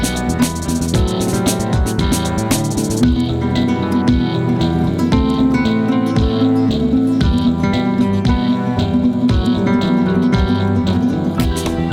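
Plucked guitar music plays throughout, with no animal sound present.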